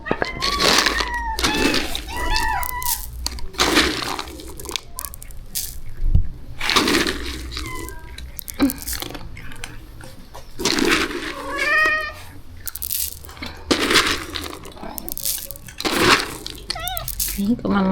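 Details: Shelter rescue cats at feeding time, from a colony of over thirty strays; several bent, rising-then-falling meows come in bursts between loud clatter of dishes and a woman's quiet talk.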